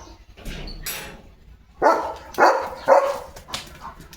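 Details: Leo, a pet German Shepherd, plays while gripping a water mug in his mouth. He gives three short, muffled barks about half a second apart, after softer indoor rustling.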